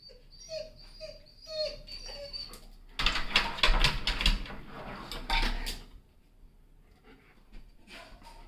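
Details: German Shepherd dog giving thin, high-pitched whimpers, about four in quick succession, followed by a burst of loud, harsh, rapidly repeated noisy sounds before it falls quiet with a few faint whines near the end.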